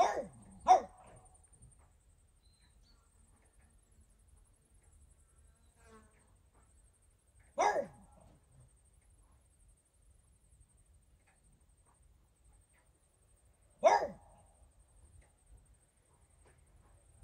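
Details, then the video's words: French Bulldog named Regis barking at fairies, giving a quick double bark at the start, then single sharp barks roughly every six to seven seconds, with near silence between them. "barking at fairies"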